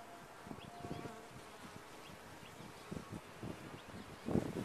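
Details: Bees at a top-bar hive buzz in a quieter, uneven way: individual droning passes swell and fade every second or so, with a louder buzzing burst near the end.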